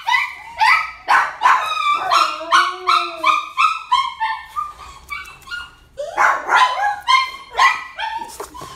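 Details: A one-year-old ivory and grey female Chihuahua gives a rapid series of high, sharp yapping barks, about three per second, with a brief whining whimper in the middle and a final burst of loud yips.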